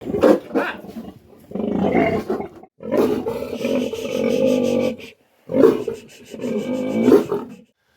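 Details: Sow shortly after farrowing, under post-birth care. Loud, harsh, roaring calls in three long bursts of roughly one to two seconds each, separated by brief silences, with a rough, noisy tone.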